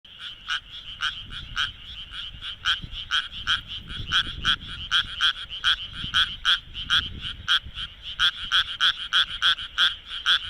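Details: Japanese tree frog calling at night in Minamitajima, Kawagoe, Japan, with its vocal sac inflating; rapid, rasping pulses repeated about three times per second in uneven bursts, with faint low rumble beneath.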